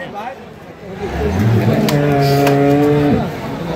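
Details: Dairy cow with calves at a weekly livestock market in Thakurgaon, Bangladesh, gives a long, low moo rising then holding steady for about two seconds, with harmonic bands; vendors talk and bargain nearby.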